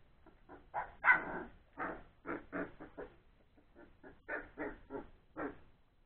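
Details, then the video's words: Play time for three-week-old Old English Sheepdog puppies after their meal, with rapid strings of squeaky little barks and yelps tumbling one after another almost without pause. "Old English Sheepdog puppies play time"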